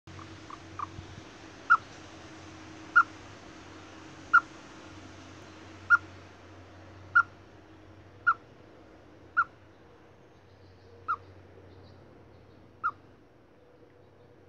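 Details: Chipmunk giving short, sharp whistled chirps, about eleven in a row, spaced roughly one to one and a half seconds apart, each a bright clipped note over a steady low hum in the background.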